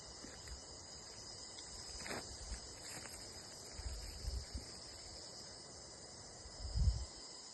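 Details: Crickets outdoors producing an unbroken, faint high-pitched trill, accompanied by low rumbling wind gusts and a short rustling burst near the end.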